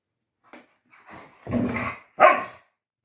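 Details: Galgo Español dogs Manuel and Carlotta at play, young Manuel only just discovering play and clumsy; short soft yelps then two louder harmonic barks, the last sharp and bright, in a quiet indoor setting.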